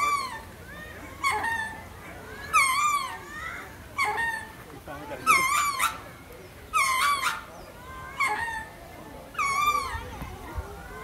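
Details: Lemur howling: a series of about eight wavering, nasal wailing calls with strong harmonics, each lasting under a second and coming roughly every one to two seconds against a quiet background.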